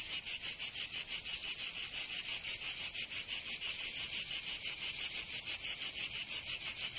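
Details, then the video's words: Cicadas singing in summer in Provence, southern France: a dense, loud buzzing chorus high in pitch, pulsing steadily about three times per second with no other sounds standing out. "Canto Cigarra 🦗 [ Escuchar les cigarras en verano 10 H]"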